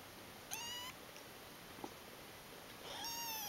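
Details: Kittens ten days old, lying piled together. Two short, high mews sound, each a harmonic cry that rises slightly. The first is brief; the second starts near the end, with soft hiss between them.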